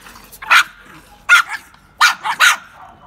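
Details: Two Pekingese dogs fighting over bread: four sharp, harsh barks in about three seconds, the first two spaced out and the last two coming close together, with quiet background between bursts.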